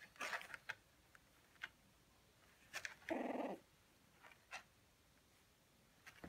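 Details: Shiba Inu puppies aged 19 days, males playing together indoors: one clear half-second tonal yelp stands out amid sparse scratchy clicks and soft noises of movement.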